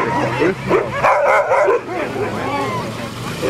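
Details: Alaskan huskies, sled dogs at a musher gathering in Målselv, Norway, September 2009, barking and yipping in a dense overlapping chorus of many dogs, calls rising and falling quickly, with voices mixed in.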